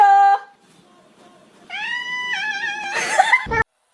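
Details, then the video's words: Cat giving drawn-out, tonal meows that bend up and down in pitch, with a short mew before them and a rough, noisy end; a person's voice can be heard nearby. "Funny Cats Sound"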